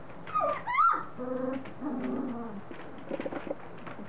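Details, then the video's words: Three-week-old Standard Poodle puppies, starting to mouth and play with each other, let out a sharp high squeal, then a steady droning whine with layered tones, followed by softer short yelps. "3 week old standard poodle puppies"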